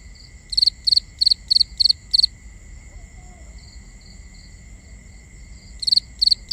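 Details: Crickets at night in binaural ambience: one cricket chirps in a fast series of pulsed triplets, pauses for several seconds while fainter distant chirps continue, then resumes, all over a constant high-pitched insect hum.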